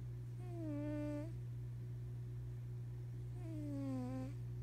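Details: Maine Coon cat snoring indoors: two tonal, slightly falling whistling breaths, each about a second long and about three seconds apart, over a steady low hum.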